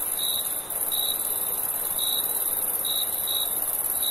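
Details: Crickets at night in summer give short, bright chirps, some in closely spaced pairs, against a steady high-pitched droning chorus.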